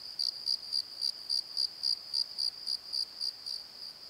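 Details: Crickets calling after dark in a valley bottom near a tree: bright, high chirps repeated at a steady pace of roughly three to four per second, evenly spaced over a quiet background.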